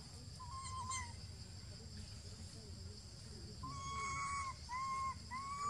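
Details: Young monkey Jinx, possibly hungry, gives drawn-out tonal wails: one arched cry early, then after a pause a quick run of three or four whistled cries, each swelling and dropping, against constant low background hum.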